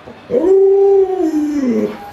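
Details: Luoluo, a pet Alaskan Malamute, howls beside its bedridden sick owner: a single long, smooth, mid-pitched howl that swells in, holds level for over a second, then sags and trails off.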